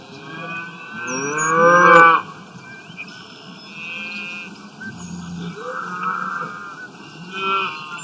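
A cow gives a loud, drawn-out moo, followed by softer lowing calls.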